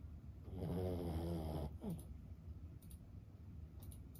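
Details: One long growling snore from Lulu, a sleeping Boston Terrier aged 15, followed by a short whistling exhale and quiet room tone with faint tapping clicks.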